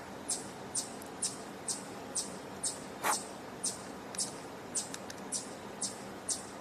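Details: A chipmunk vocalising a lot in a tree on a campus in the morning, 20 June 2024, gives sharp, high chips about twice a second over a quiet outdoor hush, with one louder snap midway.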